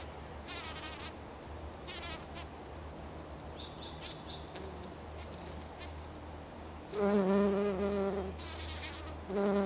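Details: A black-tailed bumble bee (Bombus melanopygus) gives loud, rich droning buzzes in bursts while buzz pollinating azalea blossoms.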